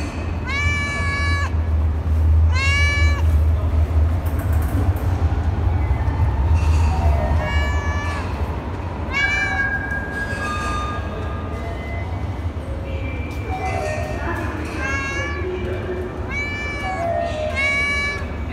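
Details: Talkative cat in a metro station meowing repeatedly, harmonic wailing meows in quick bursts, some rising then falling, over a steady low rumble of station noise.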